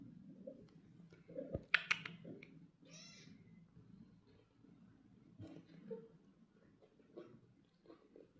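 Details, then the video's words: British Shorthair cats, a mother and her two young golden kittens, resting and exploring indoors at a cattery; one short, high, thin meow stands out midway, among sharp clicks, soft rustling and brief low murmurs in a quiet room. "The Relaxing Sounds of Young Kittens and Mother Cat"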